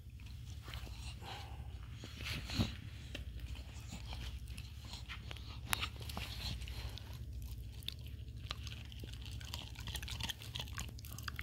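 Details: Petey, a Staffordshire Bull Terrier, gnaws a bully stick indoors on National Dog Day: steady wet crunching and clicking bites, with sharper cracks near the third and sixth seconds over a low room hum.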